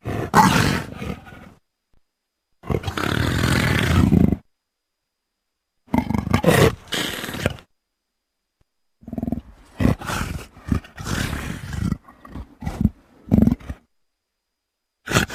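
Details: Leopard uttering a series of rough, rasping roars and short grunting growls in uneven bursts, some lasting nearly two seconds, others clipped and quick, with clean silent gaps between.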